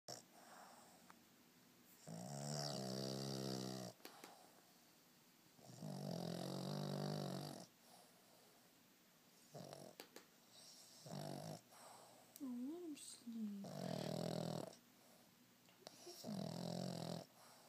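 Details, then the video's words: A 4-year-old male Boston Terrier snores loudly, as he does every day, in long, rasping, low breaths that come and go every few seconds. "Chip the Boston Terrier snoring."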